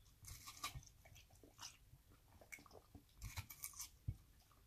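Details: Australian Cattle Dog Kronos eating a refreshing watermelon slice on a warm day, giving quick, juicy crunches and bites in uneven bursts against faint room hiss.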